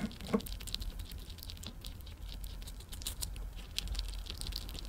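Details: A female Richardson's ground squirrel, born April 2023, eats a freeze-dried strawberry while spinning it fast: quick, wet clicks and soft crunches in an irregular patter over a low room hum; her tooth-grinding can signal happiness or relaxation.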